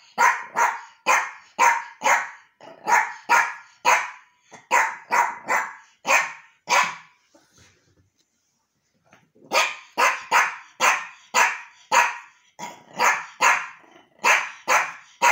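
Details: Archie, a Yorkshire terrier, meets a new toy at home and barks on and on, high sharp barks two or three a second, pausing briefly around the middle before resuming the rapid series.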